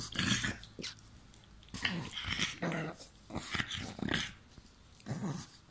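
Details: Playful pug biting and growling: short harsh grumbling bursts about every half second to second, some with whiny edges, broken by brief quiet gaps.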